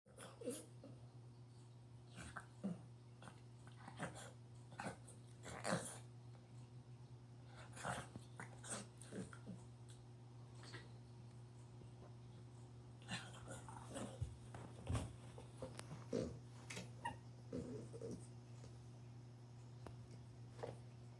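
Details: A 9-month-old female French bulldog-pug (frug) puppy, playing alone with a ball indoors, grunts, snorts and gives short whiny growls over a steady indoor hum.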